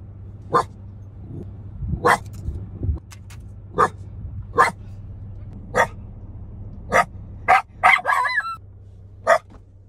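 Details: Shiba Inu barking at mountain goats by Bow Lake in Banff National Park, Alberta, Canada. Sharp, high, yappy barks are repeated roughly every second, about a dozen in all, with a low hum running underneath.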